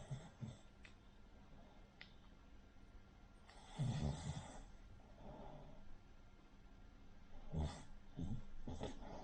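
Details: Cavalier King Charles Spaniel Rin, a short-nosed dog, snores in her sleep like a pug or bulldog: a few rough, rattling low breaths spaced several seconds apart, separated by quiet stretches with faint room hum.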